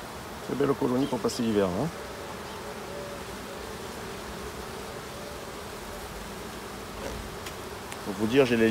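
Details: Hive of honey bees opened for an end-of-summer inspection, 22 September. A continuous low droning buzz from the colony fills the middle stretch, and human voices break in briefly at the start and the end.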